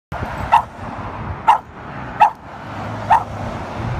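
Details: West Highland White Terrier named Brickart barking at a squirrel: four short, sharp barks spaced about a second apart over steady low background hum.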